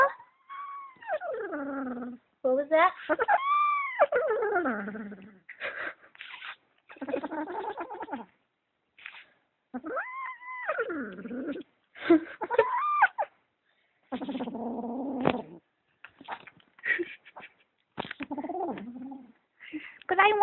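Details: Kitten guarding socks it claims as its own gives repeated arching yowls that rise and then fall, mixed with lower growling moans and rustling, in uneven bursts over twenty seconds.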